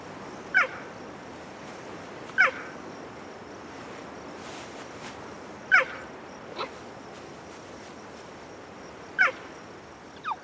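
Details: Mother cheetah calling to find her cubs hidden in tall grass; the cubs know her call and answer only when sure it is her. Short, sharp, high chirps, six in all, spaced about two to three seconds apart, over a quiet background.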